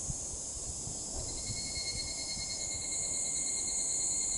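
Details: Evening cicada calling at dusk: a steady, shrill high-pitched band of insect sound with thin sustained tones beneath, swelling slightly louder toward the end, over a low rumble of background noise.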